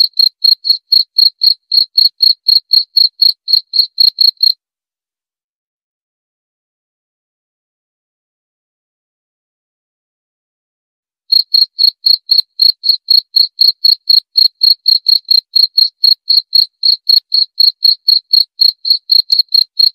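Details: Short, bright cricket chirps repeat roughly four times a second for several seconds. About seven seconds of total silence follow, then the same brisk chirping returns and runs to the end. Nothing else can be heard.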